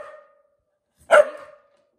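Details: A pet dog barking on command after being told to speak: one sharp, tonal bark with a short ringing tail, then a quiet room.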